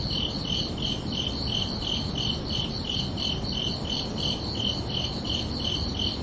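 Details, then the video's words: Crickets chirping on a peaceful summer night, high ringing pulses repeated about three times a second in a steady rhythm over faint low background noise. "Calming Cricket Sounds for Relaxation"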